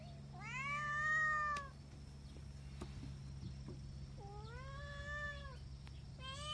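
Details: Kittens meowing: two long, clear, harmonic meows, the first rising then falling over about a second and a half, a second similar meow near four seconds and a third starting at the end, over a steady low hum.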